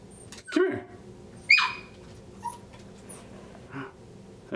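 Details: Frustrated Miniature Schnauzer puppy stuck halfway through a cat door, giving a short yelp followed by a high, drawn-out whine, then faint softer whimpers; indoors with a person quietly coaxing nearby.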